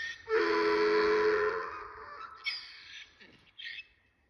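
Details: Miniature donkey (Equus asinus) named June gives one loud, harsh, wheezing bray in the morning, followed by quieter sounds and a person's voice.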